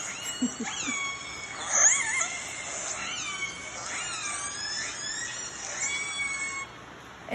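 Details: Northern Resident, fish-eating killer whales of clan A give three different dialect calls, squealing and wavering up and down in pitch, played back at a whale museum in Telegraph Cove.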